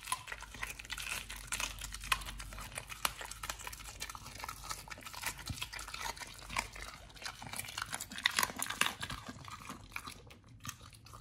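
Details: Raw-fed Pit Bull Nomyen working through fish and duck feet indoors, producing continuous squelching, crinkly chewing with bright crunches, busiest around eight to nine seconds before a brief pause.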